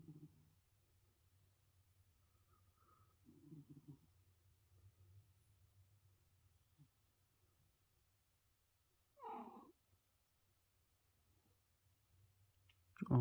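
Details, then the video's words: Sleeping pet cat snoring indoors in soft, low, rasping breaths a few seconds apart, then a short louder voiced sigh or meow as it wakes, followed by a sharp noise at the end. "Cat snores for two minutes"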